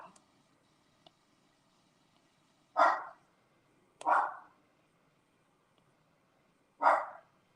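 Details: Domestic dog barking indoors at a squirrel outside, with the household dogs going crazy. Three sharp, single barks spaced a second or more apart, otherwise a quiet room.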